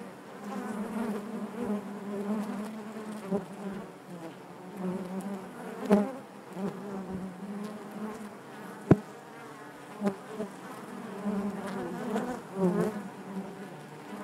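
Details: Honey bees buzzing inside their hive: a dense, steady hum layered in bands around a low drone, swelling and fading, with brief sharp clicks and knocks scattered through.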